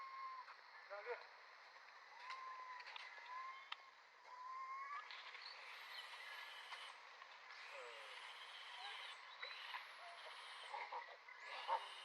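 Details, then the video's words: Baby monkey stuck in a tree, unable to climb down and screaming for its mother's help: a series of short, arched, whistle-like cries, some rising then falling, repeated irregularly over a steady broadband hiss of background noise. "get stuck tree can't go down just screaming very sad,baby monkey need mom help at moment"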